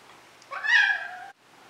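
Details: Maine Coon cat named Moose meowing indoors: one loud, clear meow about a second long with bright stacked harmonics, rising then easing down before stopping abruptly, in a quiet room.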